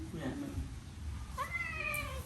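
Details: Hungry cat at a meal of rice lets out one short meow that rises sharply and then holds steady before fading, heard faintly over a low room hum and soft background noise.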